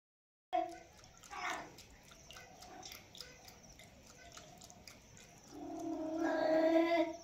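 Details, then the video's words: Cat drinking milk, with a short harmonic meow early on and a longer, louder drawn-out meow near the end over soft background noise. "ASMR cat drinking milk"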